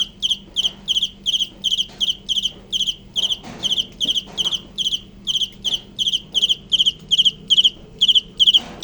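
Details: Cricket chirping steadily, bright trilled pulses repeated about two to three times per second, each a short cluster of rapid strokes, with faint low background hum.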